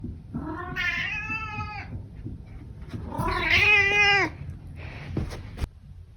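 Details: Senior cat recorded close up indoors gives two long, drawn-out, harmonically rich meows, each about a second, the second louder and wavering. A short softer sound and a click follow, then a person speaks briefly.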